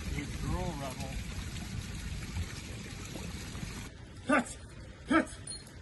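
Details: Young female Dutch Shepherd, Riptide, in early training work in France; a man praises her with "good girl" over a trickling background, then two sharp, loud single barks come about a second apart.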